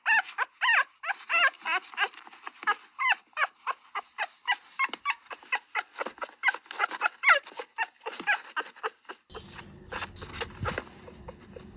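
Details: Dog barking in rapid, high-pitched yelps, dozens of short sharp barks in quick succession, a few every second, with a shift to a noisier background near the end.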